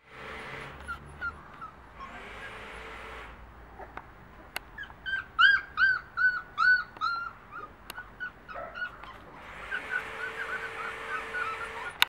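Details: American Akita puppies about three weeks old; a run of about eight high, whining yelps with arched, harmonic-rich tones in the middle, each under half a second, with broad rustling noise before and after.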